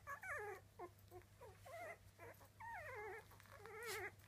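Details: Young Miniature Dachshund pups at three weeks old give loud, falling, wavering whines, several drawn-out cries descending in pitch between shorter yelps, over a faint steady hum.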